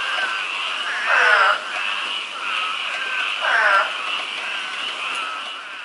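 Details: Frogs in a yard: a steady frog chorus trills on, broken twice by louder, croaking calls that stand out from the background.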